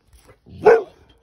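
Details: Boxer dog in a stand-off with an ostrich gives one short, sharp, mid-pitched bark that swells and fades within a fraction of a second against a quiet background.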